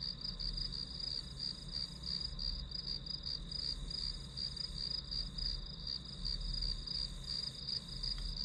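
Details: Grass insect sounds as study white noise; high-pitched chirps pulse rhythmically and without pause over a constant shrill drone, with faint low rumbling in the background.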